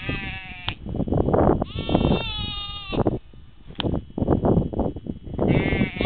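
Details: Sheep giving drawn-out, tremulous bleats, one long steady call near two seconds and shorter ones at the start and end, over loud low rustling and thumping noise.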